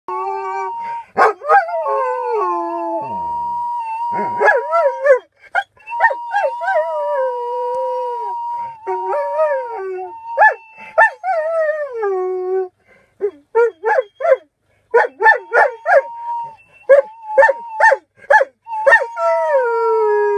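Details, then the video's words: Singing Alaskan Malamute: a run of drawn-out, wavering howls that slide downward, broken by short yelping bursts, over a steady sustained tone. "Поющий маламут"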